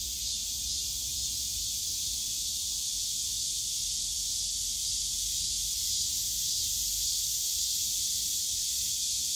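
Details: In a summer park's bamboo grove at Yongsan Family Park, massed cicadas keep up an intense, hissing high buzz that swells and throbs slightly, over a soft low murmur of park background noise.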